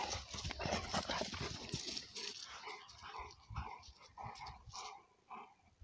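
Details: Cane Corso Italiano father Conor and son Bala, two energetic young dogs, wrestling in play; scuffling noise early, then short tonal whining growls repeated about twice a second.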